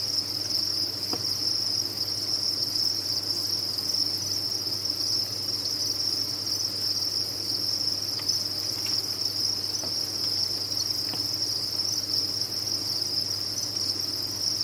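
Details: Many captive crickets at a cricket farm fill the air with a dense, unbroken high-pitched chirping chorus that holds steady throughout, with a few faint clicks and a low background hum beneath.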